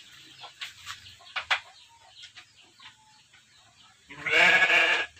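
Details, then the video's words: Texel Merino sheep kept in a simple pen on an Indonesian farm: one loud harmonic bleat lasting about a second near the end, preceded by scattered clicks and soft knocks of pen activity. "domba texel marino di kandang sederhana"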